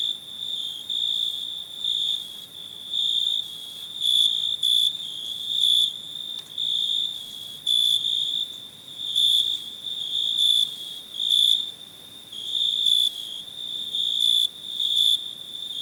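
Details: Cricket chirping in steady high-pitched trills near one pitch with fainter upper overtones, bursts pulsing roughly every half second to second and swelling and fading in volume over a quiet background.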